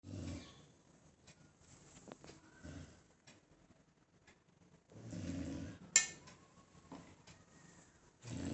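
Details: A dog sound asleep and fully relaxed, snoring: deep, rumbling low snores come in bursts roughly every two and a half to three seconds, with quiet breathing and faint indoor clicks and rustles in between.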